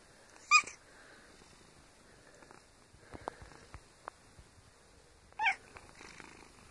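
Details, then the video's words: Domestic cat giving two brief, bright squeaks several seconds apart, with a soft rustling background in a quiet indoor room. "Adorable Squeaky Kitteh"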